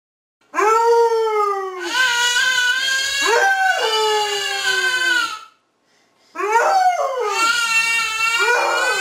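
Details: Dora, a Basset Hound, howling indoors in long, rich, mournful tones that slide gradually downward and waver, two drawn-out howls separated by a brief silent breath.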